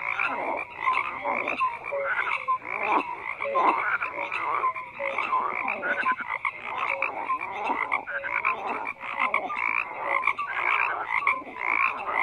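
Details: A thick frog chorus with croaks overlapping from many animals, pulsing bursts mixed with short tonal chirps, steady and unbroken over the whole stretch.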